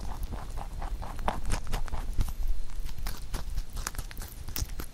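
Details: Rabbit munching a carrot songpyeon prepared for Chuseok; quick irregular crunching and chewing clicks with a heavy low rumble, like soft clip-clop patter.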